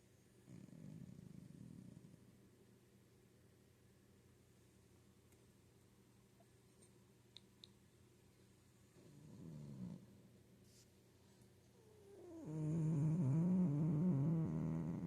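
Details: Cozy domestic cat snoring with changing pitch: soft low rumbling breaths near the start and again around nine seconds, then a louder, longer snore from about twelve seconds with a wavering, slightly rising and falling tone.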